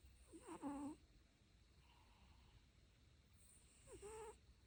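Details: Two wavering, squeaky snores from a dog, about three and a half seconds apart, each with quick pitch wobbles. The second is softer, over a quiet background hiss.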